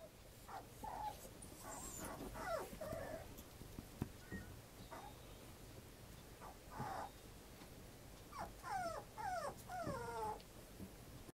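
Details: A 40-day-old puppy filmed on May 3 gives scattered short whimpers and yips, then a quick run of high, wavering whines that rise and fall near the end, over quiet room noise.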